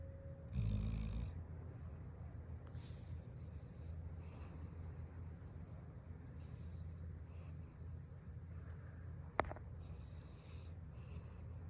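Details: Snoring of a large Golden Retriever dog pretending not to be asleep, a soft continuous low rumble after a brief louder snort at the start, with a single sharp click late on.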